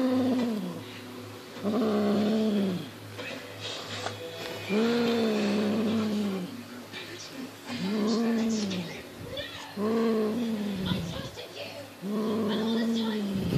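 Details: Six-month-old Highland Lynx cat playing with a fox tail, natural instincts aroused: drawn-out, arched, harmonic yowls about a second long, repeated every one to two seconds with short gaps, over a low steady hum and a few quiet human words.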